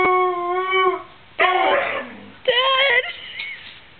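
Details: Pet dog vocalising at home to tell her owners she is bored, hungry or thirsty: a drawn-out, steady howl-like whine, then two shorter wavering yowls in quick succession, with a person speaking softly nearby.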